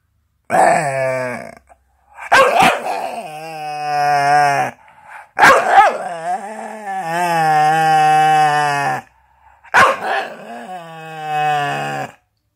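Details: Staffordshire bull terrier chattering with drawn-out, harmonic moaning vocalisations that waver in pitch, in four long bursts separated by short pauses; indoors, no other clear sounds.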